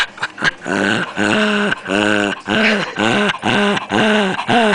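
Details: Pet puppy making odd noises while being played with: a run of short, tonal, harmonic whines and growly moans, about two per second, each slightly bending in pitch, with brief rustling between calls.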